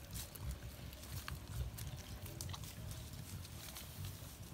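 A collared peccary grunts low and gruff, the deep rumbling sounds running together like a pig's. A few sharp clicks and rustles stand out faintly above the grunting.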